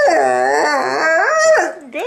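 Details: A 10-month-old Bullmastiff sings on command, giving a drawn-out, wavering howl with rich harmonics that rises and falls, somewhat cow-like, ending in a short upturned note; the owner's voice follows.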